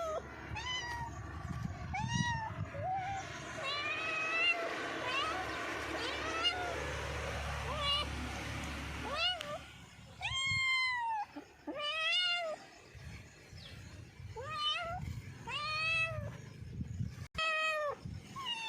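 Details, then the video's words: Cat meows, short and arched, scattered through a noisy stretch with human talking and background clatter, then clearer repeated meows in the second half. "funny and cute cats meowing complation / cats sound effects"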